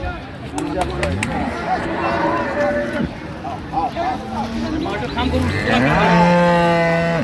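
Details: At Amberi market in Dinajpur on 28 September 2025, amid dairy cows and calves for sale, men talk and bargain over background clatter before a rising, sustained moo swells up during the last second and a half.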